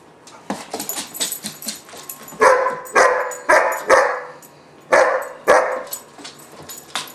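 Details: German Shepherd puppy about 4-5 months old, named Gunner, in a barking temper tantrum: loud hoarse barks in uneven bursts, some doubled, with quieter yelps and whines between them.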